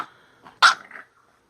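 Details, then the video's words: Minka, a female bulldog in a tantrum over her new shirt, lets out one sudden loud harsh bark with a brief growly tail in a small room. ""Minka the Bulldog" throwing a temper tantrum"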